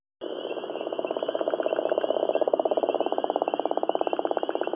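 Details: A gopher frog (Lithobates capito) calls from Georgia, a deep, rattling snore of rapid pulses growing steadier and stronger.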